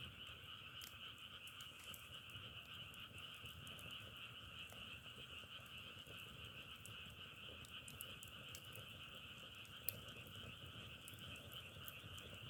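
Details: Continuous massed frog calling, an even trilling wall of sound on two steady pitches, with occasional sharp crackling pops over soft low rumble.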